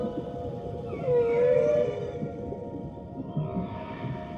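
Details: A whale, said to be a baby whale, gives a drawn-out, tonal moaning call that rises and bends in pitch.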